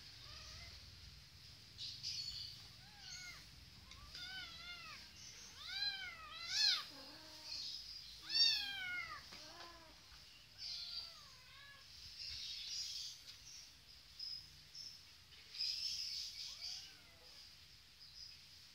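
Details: Kittens playing on a Kawasaki motorcycle mew repeatedly: high, arched, harmonic meows that rise and fall. They overlap in a busier cluster around the middle, then thin to scattered single cries over a steady background hiss.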